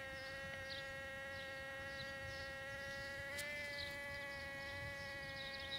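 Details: Mating bumblebees in a back yard hum continuously, a smooth harmonic buzz that rises briefly in pitch midway and then settles back to its steady drone.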